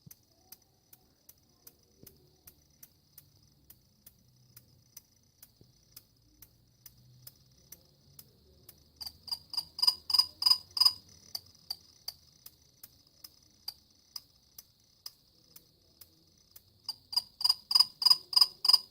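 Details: Cricket calling with sharp, high clicking pulses, about three each second and fairly steady, swelling twice into louder runs of ringing, metallic chirps before fading back; otherwise a quiet, still background.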